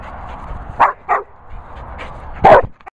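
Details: Labrador Retriever in Worcestershire countryside giving a few short, harsh barks, two close together then a louder one after a pause, over a low background rumble.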